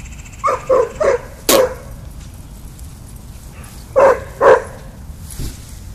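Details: Daisy, a pet dog at the park, barking excitedly at dogs along the fence line on the little dog side; a quick burst of four sharp barks, a pause, then two more, with a faint person's voice.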